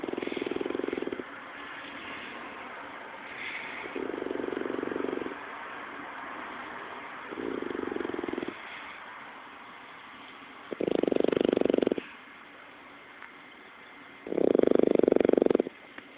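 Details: Sleeping French bulldog snoring, recorded on an Android phone: rough, rasping one-second snores every three to four seconds, the last two louder and harsher, over a low steady background hiss.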